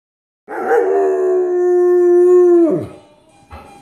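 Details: Excited dog howling: one steady, sustained tonal howl held for about two seconds at an even pitch, ending in a falling slide, followed by a short faint yelp.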